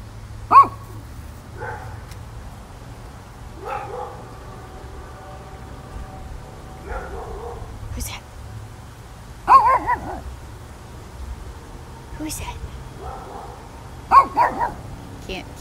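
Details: A Shih Tzu gives sharp, high yappy barks in scattered bursts, answering another dog as if in conversation, acting as a watchdog, with people talking.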